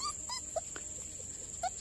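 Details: Puppies, one of a litter of four newborns with different coat colours, found in a garden next to a house while the mother is away seeking food; short high whimpers and yips, several over under two seconds, with steady insect buzz behind.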